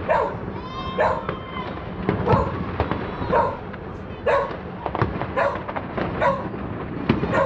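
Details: Border Collie named Bella reacting to New Year 2023 fireworks over Rzeszów, Poland: sharp barks repeated roughly every second, harmonic and mid-pitched, over a steady rumble of bursting fireworks.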